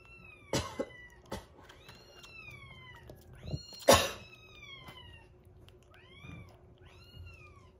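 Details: Repeated high meows from rescued kittens indoors on day 47 of a growth record, while one eats weaning food and a baby cat drinks milk; about six arched cries, some overlapping, with occasional sharp knocks and handling noise.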